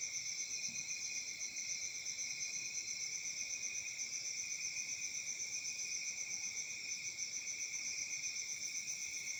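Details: On a summer night in Africa, crickets keep up a steady, high-pitched pulsing trill that runs on without a break.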